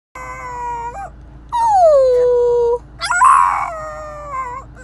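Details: French Bulldog puppy protesting in his new car seat inside a car, giving drawn-out whines and howls that slide downward, with a short harsh rising cry near the end and a steady low engine hum underneath.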